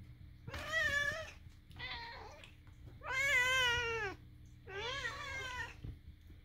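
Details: Pet cat producing its unusual vocalisations at home beside a housemate cat: four nasal, wavering meows in a row, the third longest and loudest, with brief pauses between.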